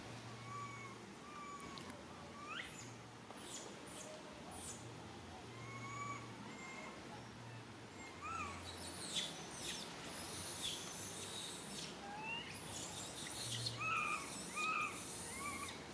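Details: Little monkey Lily crying for its mother: a series of clear, drawn-out whistled cries with a faint higher overtone, some flat and some bending up or down, set among scattered short clicks, rustles and sharp chirps.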